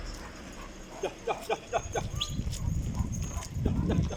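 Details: Dog during Cesur's first meeting with a Kangal dog: four short, sharp yelps about a quarter second apart, followed by low rumbling and handling noise.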